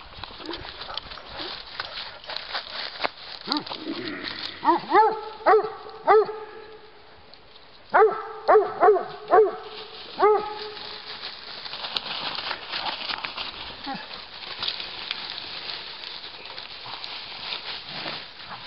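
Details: Giant Schnauzers walking in Battle Great Wood, Sussex, among them puppy Moose playing with his sister Rin; Miniature Schnauzers also present. Two quick runs of about four harsh barks each, mid-clip, with crunching footsteps and leaf litter throughout.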